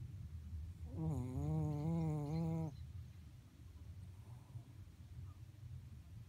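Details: Pet Shih Tzu Mocha asleep and snoring unusually, one sustained, wobbling, reedy snore lasting almost two seconds, followed by quiet low breathing.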